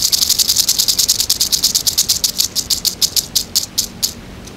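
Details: Eastern diamondback rattlesnake rattling its tail, a dry buzzing rattle in rapid pulses, about six per second at first, gradually slowing and spacing out before stopping.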